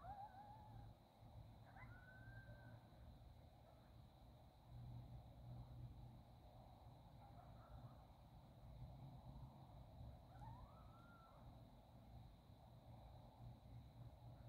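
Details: Coyotes in Northern California at sunset, howling after a quick dinner: faint, thin drawn-out wails sliding up and down, a few separate glides with brief rising yips, over steady low rumble and hum.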